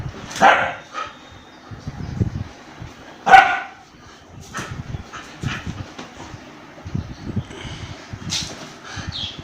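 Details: During a fight between an Indian breed and a German Shepherd, a few sharp, isolated barks ring out several seconds apart. Low murmuring human voices and scuffling continue in between.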